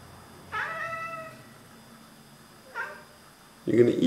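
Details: Oriental Siamese cat indoors chattering while watching birds: a drawn-out harmonic meow near one second long, then a shorter second call, followed by a burst of a woman's speech.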